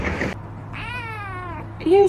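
A kitten gives a single high, thin meow that slides gently downward, with people talking nearby.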